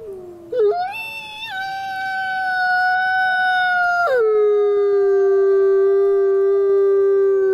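A single wolf howls in a clear, pure voice, sliding up from a low start to a sustained high note. Partway through, the tone breaks down to a lower pitch and holds there, steady and unbroken.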